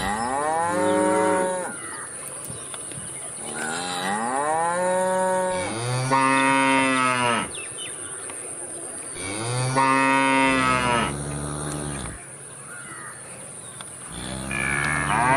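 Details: Repeated cow moos, some arched and rising then falling, others flat and steady, coming every few seconds against a constant high whine.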